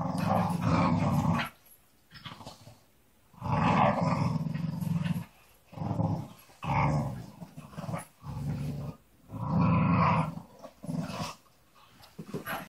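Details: Staffordshire Bull Terriers, a pack of three, play-growl during early-morning rope play in deep, rumbling bursts lasting a second or two, with short pauses between.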